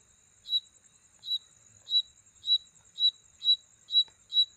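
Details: Mating sound of an insect at night: eight clear, high, clipped chirps at a steady pace of about one every 0.6 seconds. A continuous faint high-pitched drone lies beneath them.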